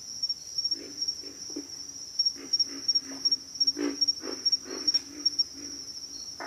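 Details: Chorus of pig frogs giving deep, gruff grunts at irregular intervals, some doubled or tripled, with a continuous shrill insect drone in the background.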